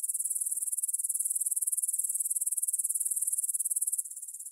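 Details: Meadow grasshoppers near the Svensky monastery in Bryansk, Russia, 9pm, 6 September 2020, Tascam DR-44WL: fast, even, high chirping pulses in a sustained buzzy stream, dropping quieter in the final half-second.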